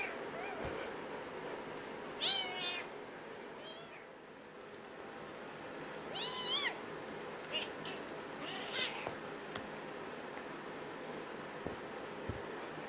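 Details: Domestic cat, a kitten at play with its angry mother; several short wavering high mews in separate bursts, spaced a few seconds apart over faint background noise.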